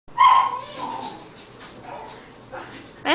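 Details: Cairn terrier excited by a squirrel playing in about eight inches of winter snow; one loud, sharp bark opens the moment, followed by softer vocal sounds and a final burst near the end.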